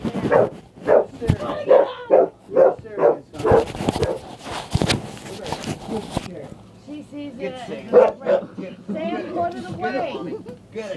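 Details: A frightened female dog barks at a chair in a rapid, uneven series of sharp barks, while a person talks and urges her on, with a burst of broadband noise in the middle.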